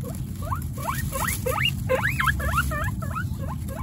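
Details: Guinea pig Coconut, a female, with her three babies Pistachio, Pumpkin and Snow in a household of 29 guinea pigs: a rapid series of short, bright, upward-sweeping squeaks, about three per second, over a steady low rumble.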